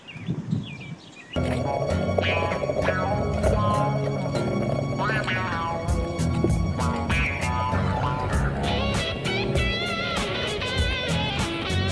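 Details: Upbeat music plays with voices singing or talking over it, and no animal sound can be picked out.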